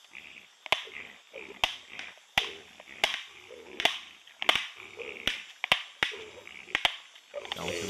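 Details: White-lipped peccaries, a group patrolling at night beside soybean fields in Nova Mutum, Mato Grosso, Brazil, caught by a Browning or Bushnell trail camera: sharp, dry clacks of teeth about every second, with soft rustling between them.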